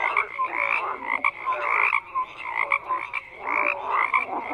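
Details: Several frogs give rasping croaks in short clustered bursts, with brief tonal notes between them and a dip into quieter calling midway.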